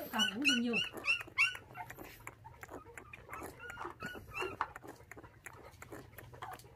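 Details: Puppies from a litter of five, orphaned at six days old when dog thieves took their mother, now bottle-fed milk indoors. High, wavering whimpers with rising and falling pitch come in quick bursts over the first second and a half, then a man talks to them.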